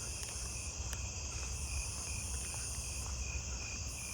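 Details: On a warm, humid night near a tree full of bush crickets, a Nebraska conehead, seemingly close, starts its loud, high buzzing song among a chorus of other night insects.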